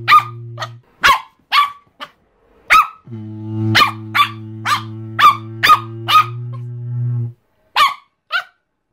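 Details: Chihuahua barking compilation of angry, happy and crying dogs: sharp, high yapping barks in quick bursts, about a dozen over nine seconds, with a steady low humming drone underneath in stretches.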